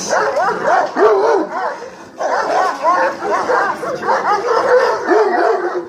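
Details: Female Kangal dog from the Hanli bloodline giving rapid, short, arched yipping barks that overlap in a busy, continuous chorus, with pitch bending up and down on each note and a few deeper barks mixed in.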